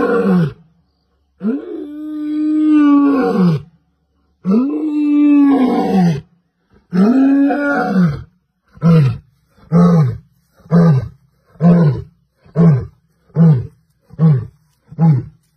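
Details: Lion wandering through a village and walking on a road, roaring: three long, deep moaning roars, then a run of about eight short grunting roars that shorten and come roughly every second.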